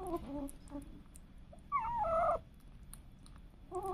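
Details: Pet cats and kittens: soft, low, mewing sounds at the start, one clear, wavering meow in the middle, and another faint meow beginning at the close, over a low hum.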